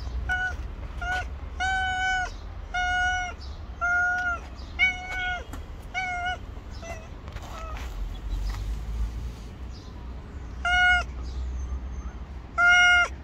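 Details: Stray she-cat on the street waiting to be fed, cautious of a person but staying close; loud, steady meows with strong harmonics, about one every two seconds, against a low background hum.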